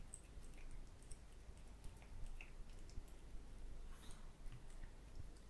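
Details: Cats eating boiled quail eggs indoors: quiet, irregular wet squishes and soft biting clicks scattered through a low room hum, with a few sharper ticks near the middle.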